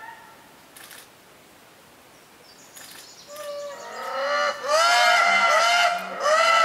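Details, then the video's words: Chorus of indri lemurs at Périnet Reserve, Madagascar, building from faint tones into loud overlapping wavering wails with sliding pitch, several voices together. "Lemurs Indri"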